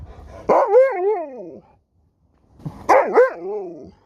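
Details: Talking-back vocalizations from an Alaskan Malamute answering its owner: two separate drawn-out, wavering woo-roo calls about a second each, separated by a brief pause, with bending pitch like a short sung howl.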